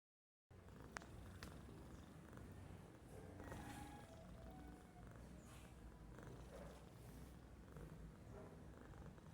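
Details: Domestic cat sleeping and doing nothing, snoring softly: a low, steady rumbling drone with faint breathy texture and a few light clicks near the start, in a quiet room.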